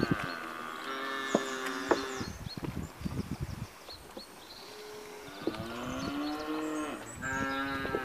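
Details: British Blue cross and Limousin cross steers and heifers, 82 head, giving long overlapping moos, with shuffling and clattering noises between the calls.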